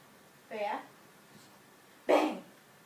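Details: An English Bulldog, a female, gives a single short, gruff bark on command ("speak"/"say hello") during trick training, with her owner's voice nearby.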